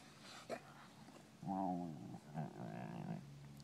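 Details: European Basset Hounds playing at Bellingham Bassets, recorded March 23, 2013: a deep, wavering, drawn-out bay with a rich stack of harmonics lasting about a second, followed by a lower, softer second bay, after a brief sharp sound at the start.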